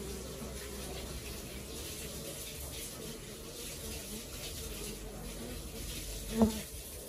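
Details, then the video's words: Honey bee colony at work, a low steady hum of many wings droning throughout, with one brief louder tap near the end. "Xem đàn ong mật hoạt động như thế nào"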